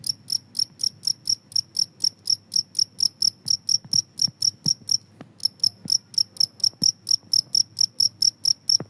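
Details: Continuous cricket chirping meant to chase off rats: piercing, high chirps repeated rhythmically about twice a second, with one brief pause midway and faint low knocks underneath.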